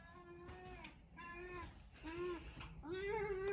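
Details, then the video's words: Hungry cats at feeding time, indoors, meowing repeatedly: four drawn-out, tonal, wavering meows in quick succession, the last one rising and louder, with faint background noise. "Feeding hungry cats meowing"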